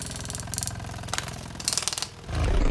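A rhinoceros beetle in flight gives a deep, throbbing buzz of rapid wingbeats, like slow helicopter blades.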